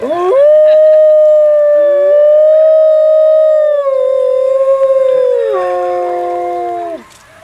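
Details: Captive wolf, alpha of its pack, howling at a group howl night after a crowd is led in a final howl; a long steady howl held for about seven seconds, with other howling voices overlapping and shifting pitch.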